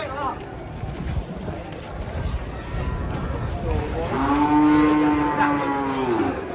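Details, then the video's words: Agitated cattle being unloaded from a truck, one charging at people: a long low harmonic moo rises and holds steady through the second half, over crowd chatter and shouting voices. "SAPI NGAMUK SERANG WARGA PAS TURUN DARI TRUK"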